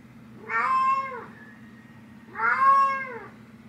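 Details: Cat named Nyx meowing to wake her human mom; two long, clear, rich meows about two seconds apart, each rising then gently falling, over a constant low hum indoors.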